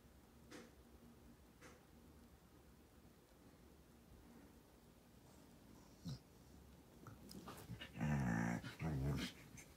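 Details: A Border Collie stretching indoors lets out two short, low, voiced groaning growls close together near the end, after a long stretch of quiet room hush with a few soft rustles and faint thumps.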